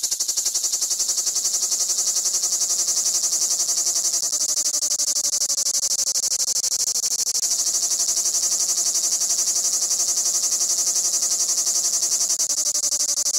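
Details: Large cicadas chirring on Crimean pistachio trees at Fiolent on the Black Sea coast of Crimea: a steady, loud, very high buzzing hiss, finely pulsed, with faint low tonal humming lines drifting underneath.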